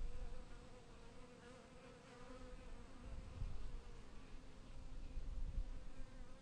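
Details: Killer bees flying around a wooden beehive and crawling over it, giving a dense, continuous droning hum that swells and fades in waves over a rumbling background.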